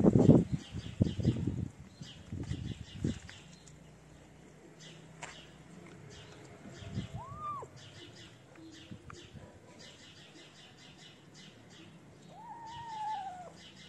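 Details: Feral street kittens, having left their black-nosed mother to gather around a person feeding them in the cold, give two drawn-out arching meows, one midway and a longer one near the end. Steady bird chirping runs behind, with bumping and rustling at the start.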